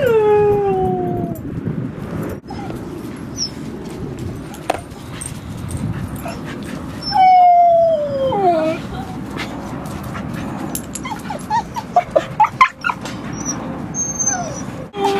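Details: At a dog park on the western side of San Francisco Bay, recorded 28 October 2015, a dog gives drawn-out descending whines and a wavering howl, broken by short high yips, over steady outdoor background noise.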